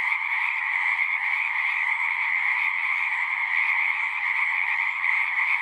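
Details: Frogs calling en masse at a pond in a horse pasture, a continuous shimmering trill chorus with slight pulsing, faint low rumble underneath.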